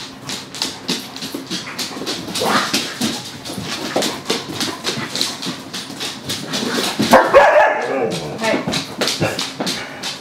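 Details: Dogs at play: Gunner with the puppy Willow and a few other canine friends, giving frequent short barks and yips amid scuffling, with a voice briefly heard in the background.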